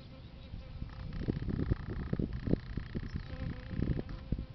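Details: Bees feeding on a flowering plant they favour: a low, droning buzz with uneven crackling bursts and a steady, thin higher tone that comes and goes, over rough low rumble.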